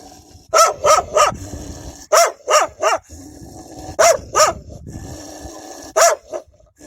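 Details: Barking wild dogs fiercely guarding their young: clusters of two to three sharp, harsh barks repeating in quick bouts across the recording, with a constant droning noise underneath.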